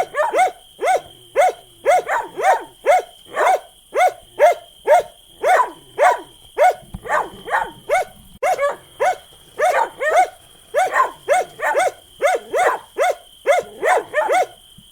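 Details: Long bout of dog barking, quick repeated barks with occasional double barks and a brief pause midway, accompanied by a persistent thin electronic tone.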